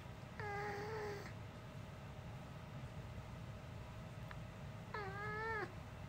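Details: Human-like voice of a pet dog that never barks like a dog: a long, slightly wavering moan near the start, then a second similar drawn-out voice-like call after a short silence.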